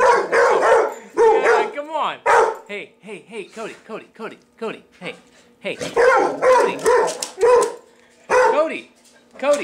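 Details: Male pet dog reacting to a vacuum cleaner, giving loud harsh barks in irregular bursts, with yelping, whining notes between them and a person talking to him over the top.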